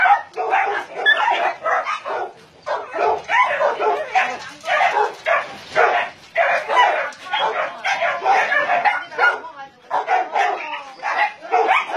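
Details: Crowded chorus of barking from a Nonsan, South Korea meat farm cum puppy mill housing around 150 dogs, among them Dobermans, Shar-Peis, Chow Chows and Golden Retrievers; loud overlapping barks pulse in waves roughly every second, with voices mixed in.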